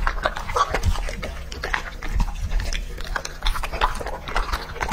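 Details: Two-and-a-half-year-old English-type Labrador Retriever named Lucky feeding on raw food: quick irregular crunches and slurping chews with deep low thuds between bites.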